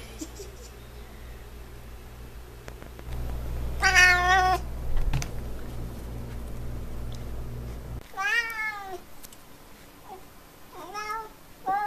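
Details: Indoor F6 Savannah cat meowing: one harmonic meow near 4 seconds over a low hum, then a louder descending meow and two short upturned mews toward the end.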